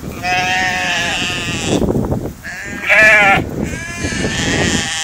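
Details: Sheep grazing in a field give several overlapping quavering bleats, a loud one at the start, another near 3 seconds, and more after 4 seconds, over chewing and rustling.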